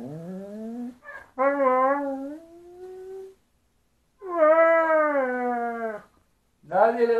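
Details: Siberian Husky, said to be hyperactive, talks in drawn-out tonal howls: a rising whine, a long wavering note, a second long moaning note after a pause, then another starting; a person speaks nearby.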